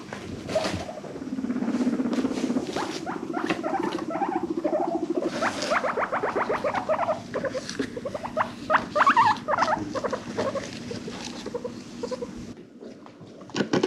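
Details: A herd of five rescued guinea pigs, kept as pets, gives a low, buzzy rumble followed by quick pulsing series of sharp squeaks and chirps, rising and falling; guinea pig.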